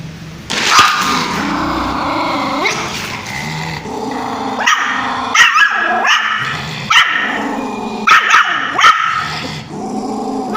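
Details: Angry puppy barking at its owner: sharp, high yapping barks in quick bursts, several near the end, mixed with low rumbling growls and whiny harmonic snarls throughout.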